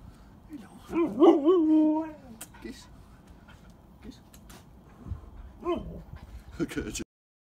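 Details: Pet huskies sharing a hug with a person dressed in a dog costume: one drawn-out, wavering howl-like whine near the start, then a shorter yelp later, with human speech and rustling in between.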